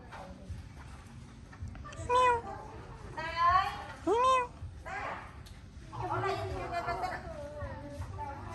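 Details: Small abandoned kitten receiving care and food meows three times in quick succession, each cry arching up then down, followed by softer mewing mixed with nearby voices.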